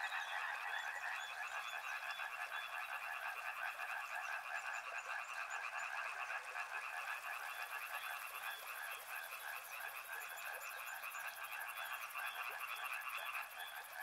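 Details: Riverside frogs croak nonstop in an overlapping chorus of quick, pulsed notes, loud and unbroken, while a high, fine buzzing rises in the background during the later part.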